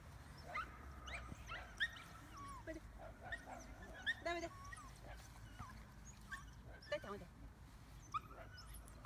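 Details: Medium poodle whimpering in thin, high whines, some drawn out for about a second, others short and broken, scattered through the recording with soft human voices in the background.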